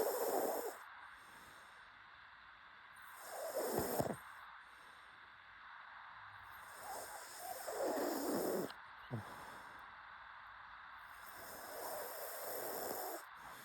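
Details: A sleeping pug gives breathy, hissing snorts in four or five bouts, each roughly two to four seconds apart, over a constant faint background hiss.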